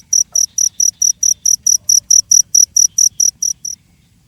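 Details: Shrill, high pulsed chirps from a cricket, about sixteen evenly spaced beats over three and a half seconds, then the calling stops abruptly into near silence.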